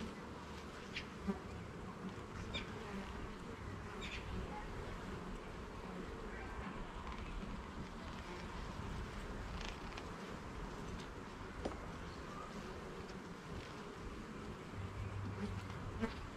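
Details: Hive of honey bees in a garden while the frames are inspected, giving a dense, continuous low drone with a rich buzzing texture and only a few faint taps from handling.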